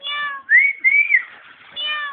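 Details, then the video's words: Pet cat at home giving drawn-out meows, harmonic calls at the start and end with high rising whistle-like tones between, no other sounds. "MY CAT"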